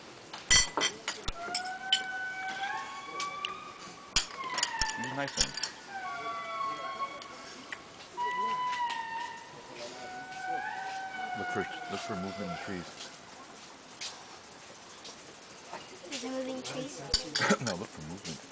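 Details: Indris (Indri indri) at Andasibe call to each other in the early morning during breakfast, wailing in a chorus of long, eerie, siren-like notes that glide up and down and overlap, then stop abruptly.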